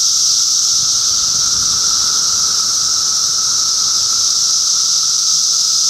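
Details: Cicadas in Middlesex County, New Jersey, during June 2013 fill the air with an unbroken high-pitched sizzle and a lower droning note, with faint low thumps early on.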